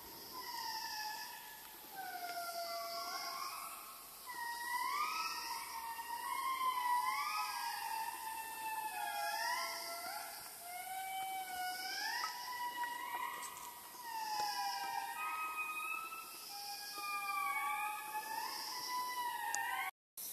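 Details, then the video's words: Several indris in Madagascar, the largest lemurs, wail together in a haunting chorus of sliding, siren-like notes that rise and fall in overlapping waves, with a faint insect hiss and pulsing high chirps behind. "Largest Lemurs in Madagascar, the Indris. Astonishing mesmerising call."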